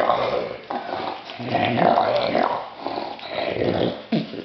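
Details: A male English Bulldog puppy, happy about his new toy, makes low, throaty grumbles and snorty growls of contentment.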